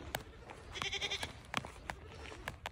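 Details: A newly acquired fainting goat (Capra hircus) gives a short, thin, nasal bleat, one of its sweet little noises, among sharp knocks and clicks.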